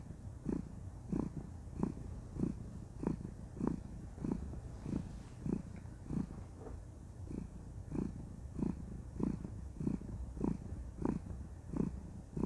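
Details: Contented she-cat purring during a cuddle, a steady low rumble rising and falling in regular breaths about every 0.65 seconds throughout, quiet room otherwise.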